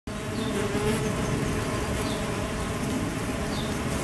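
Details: Mason bees becoming active on a warm mid-spring day in 2011 in the UK; a steady, continuous low droning hum of many insects fills the whole recording, with no distinct individual calls.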